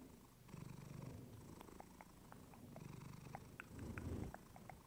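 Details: Clementine the female house cat purring, captured with a fluffy microphone: deep vibrating purr in short rising and falling breaths, overlaid with a scatter of light ticking clicks.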